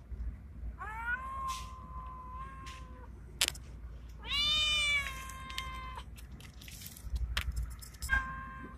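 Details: Male street cat resembling a Bengal, calling out to a female: long level meows held for over a second, one rising and wavering, then shorter yowls and clicks, against a low rumbling outdoor background.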